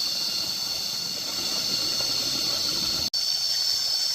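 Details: Cicadas droning on a nature outing, a loud, level, high-pitched rasping hum that runs steadily, broken only by a split-second cut of silence near the end.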